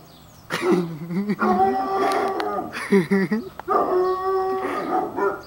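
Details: Young Dobermann, five months old, vocalising on meeting a stranger after peeing: a series of quavering, bending howls and yelps, loud and sustained, broken by short gaps, with brief human voices mixed in.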